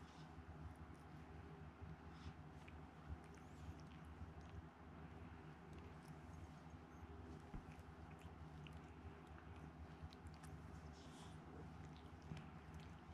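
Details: Continuous close purring from Chikuwa, a house cat taken in as a kitten with poor sight in one eye, recorded indoors; a dense, even low throb with faint scattered ticks above it.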